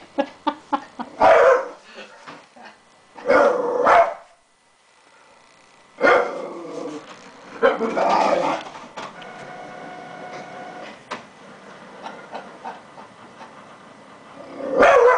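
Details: Pet dog barking at a printer, short harsh barks in bursts, several quick barks then longer volleys with gaps, a person speaking to the dog, mechanical printer whirring in between, indoors.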